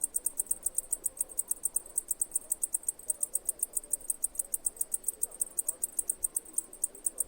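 A cicada keeps up a thin, very high chirping, evenly repeated at roughly seven pulses per second. A faint low murmur of background noise sits underneath.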